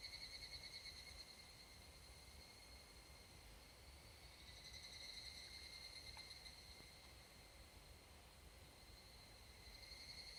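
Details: Higurashi, the evening cicada Tanna japonensis, calling from a forest in Japan's summer mountains at dusk; high, shimmering pulsed bursts swell over a steady ringing insect chorus, with faint low rumble beneath.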